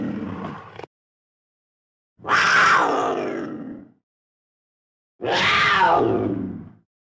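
A mountain lion gives loud, harsh, drawn-out calls that sag in pitch, with pauses between them.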